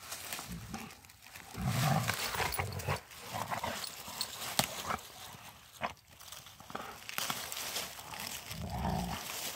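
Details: Pair of Rottweilers playing together during a walk in the woods; deep, throaty growls come in a few short bursts amid steady scuffling and rustling of movement.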